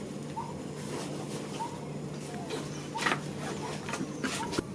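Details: Newborn baby monkey in Cambodia crying out for its mother: short, thin, tonal whimpers repeated roughly every second, over clattering handling noises and a steady low hum.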